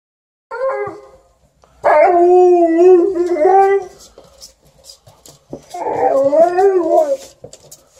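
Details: Alaskan Malamute and Golden Retriever, pet dogs indoors, howling loudly because they want to go out: three long wavering howls with rising and falling pitch, the first short, the second and third drawn out over about one and a half seconds each.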